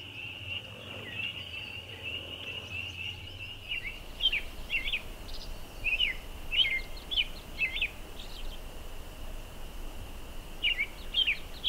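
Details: ['Loud group of spring peeper frogs: a steady shrill chorus hums in the background while nearer frogs give distinct short, high, upslurred peeps, often in quick pairs, from about four seconds on.']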